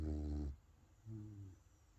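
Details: Sleeping puppy snoring: two low, rattling, droning breaths, each about half a second long and a second apart, with quiet between them.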